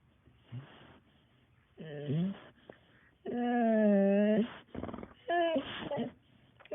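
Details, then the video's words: Dog whining indoors in a series of drawn-out, high nasal whimpers that bend downward then level off, the longest holding steady for over a second, separated by soft breathy sniffs and snuffles. "Dog whining"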